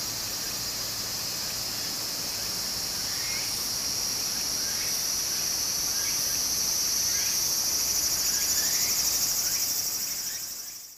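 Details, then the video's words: A dense summer cicada chorus in Japan beside a flowing stream: shrill, continuous, shimmering buzz, with fainter quick upward chirps repeating about three times a second, before the sound fades out at the very end. "小川の流れと蝉の声 自然音 ～夏～ Japan Sound of nature Cicada's voice"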